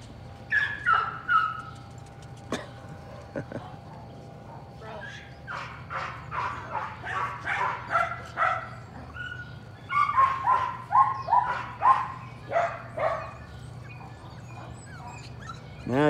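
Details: Patterdale Terrier puppies working rats at evening in a puppy pen, a litter joined by Cricket, a little black female a couple of weeks younger; bursts of high yips and whines, several falling in pitch, with short pauses and a sharp knock early on.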